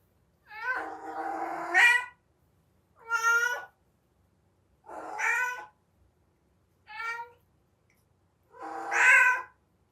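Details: Domestic cat in heat giving its distinctive heat-season call: five loud, harmonic meows, the first long and wavering, the others shorter, separated by silent gaps of about a second; no other sounds.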